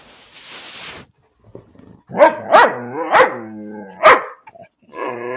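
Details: A pet dog named Bean barking for no apparent reason: after a second of hiss and a quiet gap, a few short sharp barks with harmonic, whiny tails, spaced irregularly about once a second.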